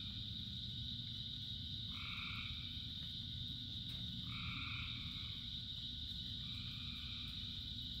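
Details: Frogs in rain, one of thousands in a chorus: three clear two-toned croaks, roughly two seconds apart, rising above a steady shrill background chorus and the low, continuous patter of rain.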